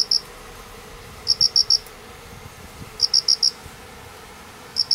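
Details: Two unseen crickets calling beneath painted spurge after heavy rain, Doi estate, Manganji, Minamioguni, Japan, 29 September 2016, also calling in the morning; high, clear chirps of four quick pulses, repeated about every one and a half seconds.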